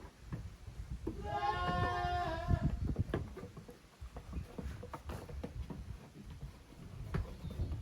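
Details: Young goats, the kids of Koharu and Okayu, at play in two teams on the exercise ground of a small Japanese goat farm, 13 June 2023; one long wavering bleat rings out early, followed by hoof knocks and rustling.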